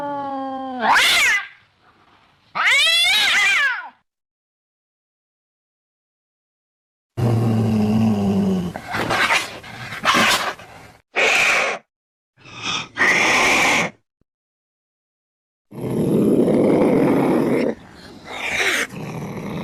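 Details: Cat caterwauling: two rising yowls, a silent gap, then harsh growling, hissing bursts and rough wavering howls in broken stretches.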